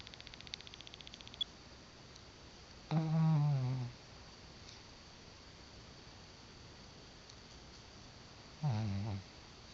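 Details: Brownie, a dog snoring in sleep: two deep, voiced snores about a second each, roughly six seconds apart, each a low buzzy drone, with faint ticking noises before them in a still indoor room.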